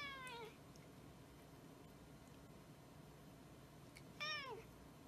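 A Snowshoe cat gives two harmonic meows, the first falling, the second rising then falling.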